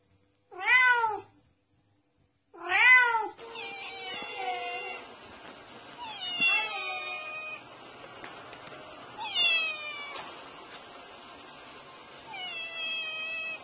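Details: A domestic cat gives two loud, arching meows, then a run of softer, overlapping mews; the meowing is described as a sound that chases away mice.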